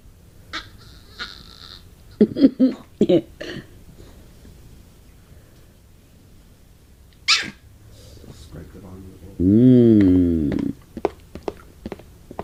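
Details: Female Pomeranian begging for soup indoors; scattered soft clicks and brief sniffs, a few short squeaks, then a single drawn-out wavering whine of about a second, warbling up and down, followed by light tapping.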